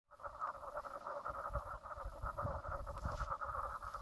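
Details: Frogs calling at Brown Lake on Stradbroke Island, Queensland, Australia, late morning on 04/03/2017 around 10:55am; a dense, continuous pulsing chorus in two bands, mid and higher, with a low rumbling background.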